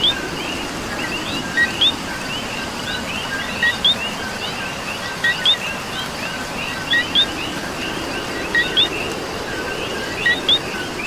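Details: Puerto Rican coqui in the rain, its two-part co-qui call repeated about every 1.7 seconds: a brief lower note followed by a sharp rising whistle. Steady rain and a dense background chorus of fainter frogs fill the night.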